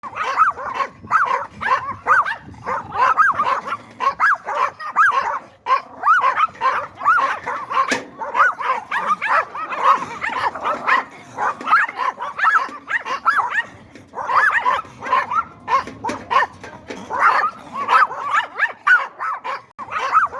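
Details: Yorkshire Terrier barking nonstop for twenty seconds, a dense stream of high, sharp yaps that rise and fall in pitch, coming several per second with only brief pauses between bursts.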